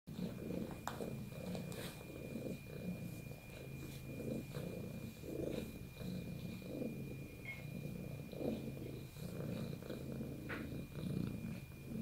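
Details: Domestic cat purring as a sign of bonding with its owner: a steady low rumbling drone throughout, with small rustles and a faint high electrical tone in the background.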